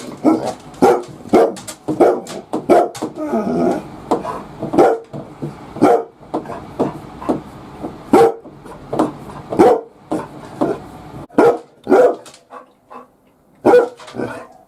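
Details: Labrador Retriever guarding the house from inside the bath during a mobile shampoo session, barking as a watchdog; a long run of loud, sharp barks repeated about every half second to second, with brief pauses and some softer whimpering sounds between.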